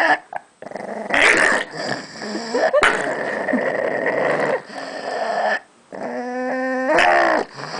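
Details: Pug Gidget growls over a bone she was given, harsh buzzy growling in several bursts, ending in a strained, strongly harmonic whining growl with rapid pulsing.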